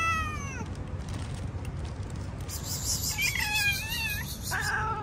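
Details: Hungry cats outside eating fish; a falling meow opens, then wavering drawn-out cries near three seconds and another at four and a half, over steady low background rumble.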